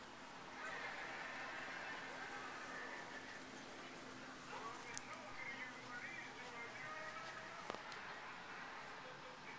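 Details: Five-year-old Siamese cat Nigel, a male with an odd meow, produces a long, drawn-out, strained yowl early on, then shorter bending cries that dip in pitch, with a few soft clicks in a quiet room.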